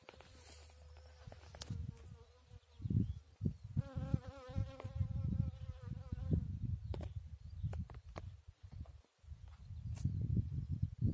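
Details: Bees at work on a chicory flower: a steady, droning wing buzz with even overtones holds for about two and a half seconds mid-clip, set against heavy low wind rumble and scattered handling knocks.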